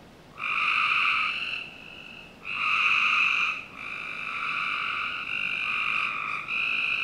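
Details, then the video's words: Several frogs trilling on a summer night behind a Northern Virginia home, with buzzy calls running into one another so the chorus becomes nearly continuous after a short opening burst. "Frog Night 1"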